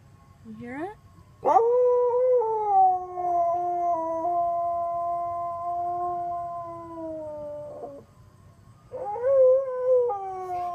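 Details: Siberian Husky howling intermittently along to a passing ice cream truck's tune: a brief rising yelp, then long wavering tonal howls that hold and bend, blending with the truck's steady melody notes.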